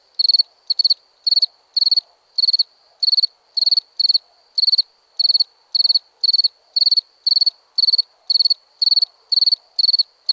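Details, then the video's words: Recorded cricket giving bright, piercing pulsed chirps, a little uneven at first and then settling into a steady beat of almost two per second; no other noise. "Cricket Sounds"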